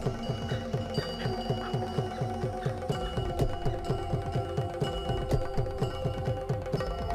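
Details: Rhythmic mallet-like music with a steady low hum, and no animal voices. Repeated plucked and struck tones pulse along with a deep drone throughout.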